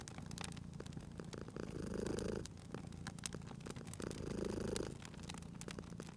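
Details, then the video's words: Cozy spring scene of a sleeping cat at a crackling fireplace; deep continuous purr with two louder inhale-exhale swells about two seconds apart, fire pops and crackles scattered across the clip. "Cute Purring Cat at a Crackling Fireplace"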